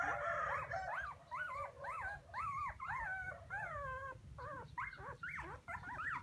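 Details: Several puppies crying for their absent mother: a dense run of high, arching whimpering yelps, each rising then falling, repeated roughly twice a second and overlapping, with low rumbling background noise.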